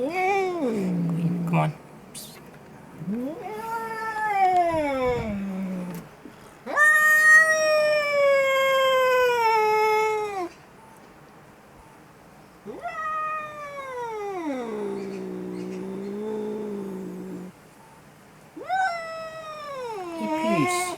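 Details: Very angry cat making horrible yelling sounds: five drawn-out wailing yowls, each swelling then sliding down, some lasting about four seconds, separated by short silences; a man speaks softly between them.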